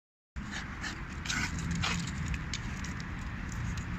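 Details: A 4-year-old French Bulldog, going crazy and attacking a car tire, gives rough, breathy bursts of barking and snorting over a low background rumble.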